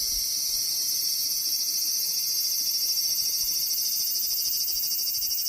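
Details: Loud, close large brown cicada song: an intense, unbroken electric sizzle with rapid throbbing pulses, holding steady for the whole stretch.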